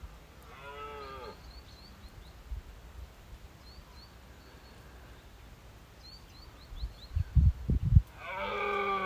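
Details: A dominant red deer stag on Exmoor during the 2023 rut, seen from first light among his hinds while smaller stags mob him, gives deep, drawn-out roars with faint bird chirps behind.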